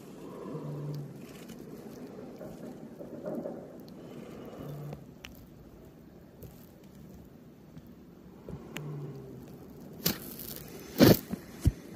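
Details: Quiet indoor-sounding ambience with soft scraping, rustling and patter, low hum, and a few sharp knocks near the end; no animal voice heard.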